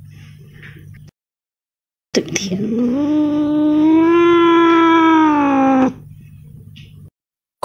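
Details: Cat meow after a brief low hum and a second of silence: one long, sliding call that rises, holds in a gentle arch for about three seconds, then falls and cuts off, followed by more faint hum.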